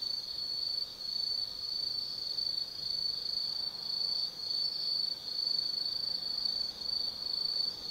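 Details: Autumn night insects in the woods of Tsukimi no Mori, Gifu, Japan, at a 180 m lookout; a thin, bright, continuous trill made of quick pulses, swelling and dipping slightly in loudness.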